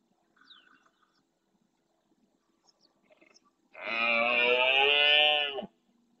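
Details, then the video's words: Red deer stag at dawn during the rut in the Doñana National Park marsh, Andalusia, Spain, courting hinds beside its herd and roaring forcefully; one drawn-out harmonic roar near two seconds long, with faint bird calls before it. "Berrea al amanecer"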